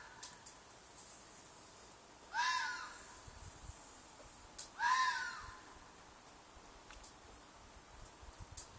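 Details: Nighttime fox shriek from a field near apartments, a loud call said to be a possible mating cry: two hoarse, wavering screams about two and a half seconds apart over a quiet background with scattered faint ticks.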